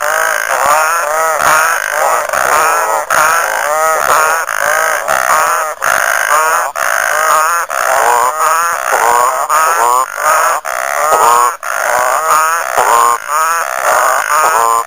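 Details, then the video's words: Many frogs calling together at Lake Nhambavale in Chidenguele, Mozambique, making a thick wall of wobbling, bubbling notes that repeat rapidly and overlap throughout, with brief breaks in the din. "Frog Orchestra"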